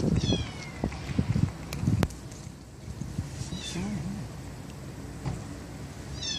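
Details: Stray kittens, four siblings from a young white mother in a residential street near a bus terminus. Scattered high, falling mews at the start, middle and end, with handling thumps and brief human voices in between.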